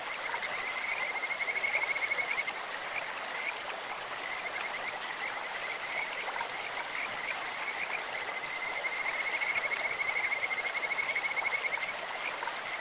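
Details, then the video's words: Kajika frogs singing in a clear stream: long runs of rapid, high, birdlike trilling on a nearly level pitch, swelling around two and ten seconds, with the hiss of flowing water throughout. "自然音 清流にカジカガエルが鳴く"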